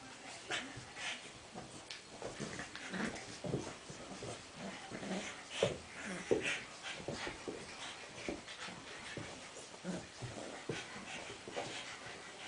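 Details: An 8-week-old black and tan Cavalier King Charles Spaniel puppy named Ollie plays with his friend Henry, making soft whimpers, snuffles and scuffling bursts that repeat irregularly over a quiet indoor background.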